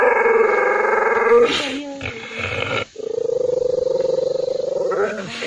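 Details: Angry dog giving loud, harsh, harmonic snarls in long rapid pulsing runs, one stretch for about a second and a half, then rougher broken sounds, a short gap near three seconds, and another long steady pulsed snarl.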